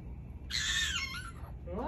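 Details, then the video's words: Pet fennec fox arguing with its owner, giving a single high, harmonic, slightly wavering squealing cry lasting under a second, followed by a brief quieter rising tone over faint room hum. "Fennec Fox argues with his master"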